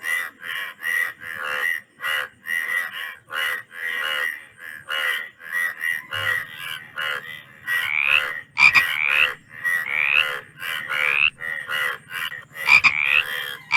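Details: Several frogs croaking in dense, overlapping bursts, each call a short raspy rattle with bright buzzy overtones, repeated many times with brief gaps; a faint low hum appears midway.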